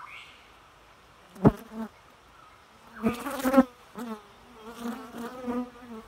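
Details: Bee buzzing in intermittent bursts, a low drone with stacked harmonics swelling and fading as insects pass close, with sharp clicks or taps and quiet gaps between passes.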